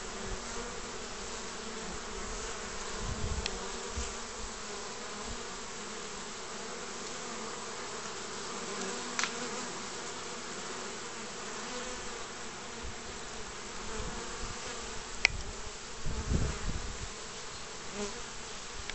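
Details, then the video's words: At the entrance of a skep of honey bees, spring, 29 March 2014, pollen arriving: even hum of many bees throughout, punctuated by occasional close fly-by buzzes and a couple of sharp clicks. "Na žrelu koša s čebelami 29 marca 2014"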